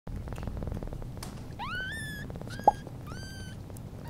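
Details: Newborn British Shorthair kitten on its first day after birth, beside its mother cat, gives thin high mews that rise sharply, two near the middle and one more after a sharp tap, over a steady low rumble.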